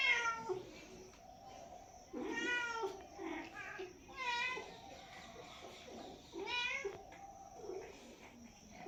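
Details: Cat calling with repeated meows: a short one at the start, then three long wavering meows roughly two seconds apart, set against a faint background hiss.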